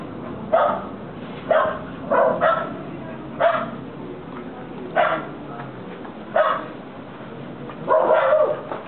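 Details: Two American Pit Bull Terriers, Tamara and Felipe, at play in a backyard in Corrientes, Argentina, giving sharp, separate barks spaced about one to one and a half seconds apart, some in quick pairs.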